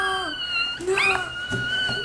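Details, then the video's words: A 3-week-old female Chihuahua puppy, woken from a nap by a distant ambulance siren, lies upside down giving a thin, high, wavering howl that rises and bends against the steady siren tone. "Chihuahua puppy howling at 3 weeks"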